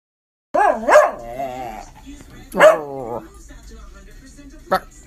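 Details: Pet schnauzer that loves singing, giving two drawn-out wavering howls with wobbling pitch, each about a second or more, separated by a short gap, then a brief sharp sound near the end.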